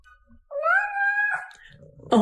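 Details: A pet cat indoors gives one long drawn-out meow with a steady harmonic tone rising slightly then sliding down, heard as sounding like "mama"; a person speaks right after.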